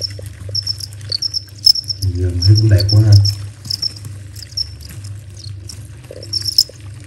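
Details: Crickets chirping in a garden in Vietnam around half past eleven at night, a peaceful countryside feel: fast thin high chirps repeated steadily, with a man speaking in the middle and a low hum.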